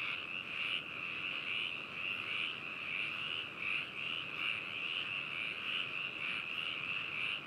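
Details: Frog chorus from Hakushu in Hokuto, Yamanashi, Japan, captured with binaural microphones on 4 May 2018: an unbroken, even trilling drone of many overlapping callers, with only faint distinct croaks.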